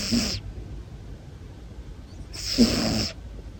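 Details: Nearly one-year-old male long-haired Munchkin cat asleep and snoring, two airy, hissing breaths about two and a half seconds apart, the second longer and louder, over a soft low background rumble.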